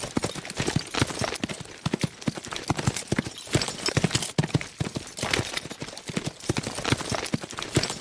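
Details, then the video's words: Several fast horses at full gallop, their hooves pounding in tight, irregular clusters of sharp knocks over a constant low rumble. No other sounds. "Fast Horses Sound Effect"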